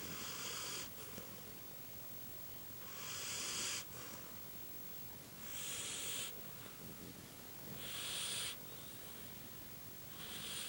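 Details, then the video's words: Sleeping dog snoring with loud, hissy, wheezing breaths that come in long bursts about every two and a half seconds, each rasping sound lasting nearly a second, separated by quieter gaps. "Snoring demon dog"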